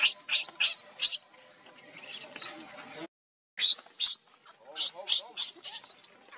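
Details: Baby monkey Leo, hungry and begging its mother for milk, gives piercing high-pitched wails in short bursts, some arched and wavering, separated by brief pauses and a short silence.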